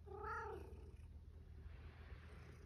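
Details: Hungry rescued male cat indoors, just home, lets out a short rising-then-falling meow at the start, then quiet room hum with faint shuffling.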